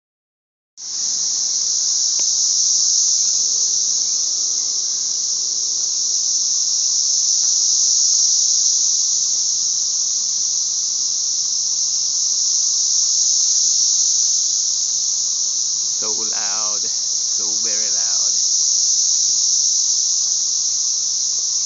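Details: Loud chorus of cicadas in Middle Tennessee in 2011: a dense, steady, high hissing drone that starts abruptly and holds unbroken, with a couple of brief lower wavering sounds near the end.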